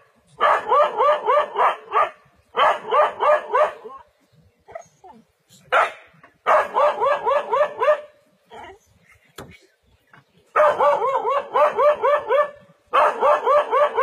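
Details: Dog standing its ground against a leopard in a forest, barking in fast bursts of about four harsh barks per second, each burst lasting one to two seconds and separated by short silent pauses.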